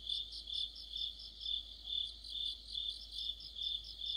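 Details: Short stretch of an autumn cricket and insect chorus, a high, ringing trill swelling and fading in quick regular beats, about nine pulses in four seconds.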